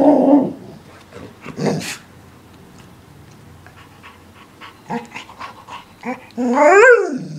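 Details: English Springer Spaniel with a couple of short, rough barks near the start, a quiet stretch with scattered small noises, then a loud, wavering yowl that rises and falls near the end.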